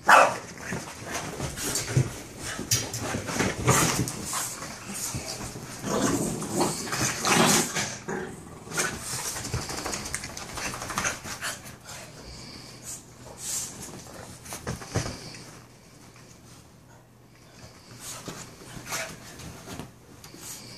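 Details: Two Boston Terrier brothers playing together give short barks, grumbles and whimpers amid scuffling noises.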